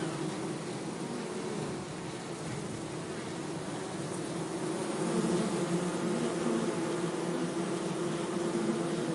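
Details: Bees buzzing in a low continuous hum that grows louder about halfway through, the pitch wavering as the drone carries on steadily.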